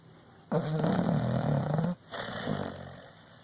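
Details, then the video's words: Sleeping dog snoring indoors: one long rough low snore of about a second and a half, then a softer, breathier exhale, each breath a buzzy rumble. "Dog snoring"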